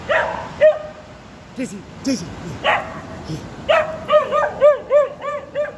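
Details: Two-year-old border collie sheepdog in training, out on a walk in Durham during the Lumiere light festival, barking at a 25ft light-up sheep sculpture as if trying to herd it; several short sharp barks, some doubled, with a person speaking early on.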